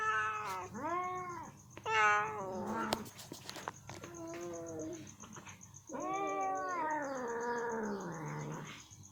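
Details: A female ginger cat struggles to remove chicken meat stuck in her teeth after eating. She gives loud, strained, harmonic-rich meows and a drawn-out caterwaul, with clicks and scuffing between the cries, over a faint steady hum.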